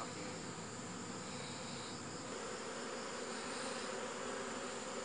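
A continuous buzzing hum of honey bees fills the air, broad and even with no clear breaks. The drone holds steady throughout, like a busy hive.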